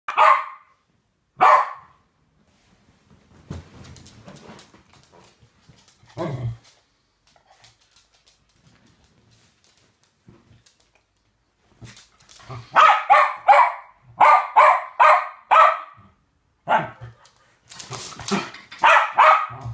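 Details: Two West Highland White Terriers playing a game together; sharp barks at the start, then a quiet stretch with soft rustling, followed by rapid runs of repeated high barks near the end.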